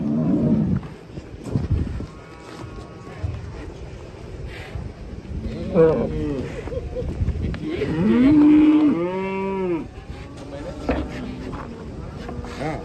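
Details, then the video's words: Cattle unloading from a tilting truck in Indonesia give drawn-out, low moos around eight to ten seconds, rising then holding steady with rich harmonics, amid shouting voices and clattering handling noise. "KUMPULAN SAPI UNIK DAN LUCU TURUN DARI TRUK OLENG"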